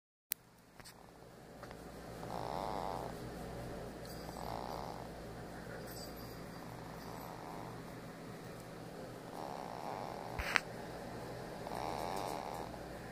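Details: A pet ferret sleeping while getting a foot massage makes soft snuffling, snore-like puffs, muffled hums recurring every two seconds or so over a steady low electrical hum, with a sharp click near the end.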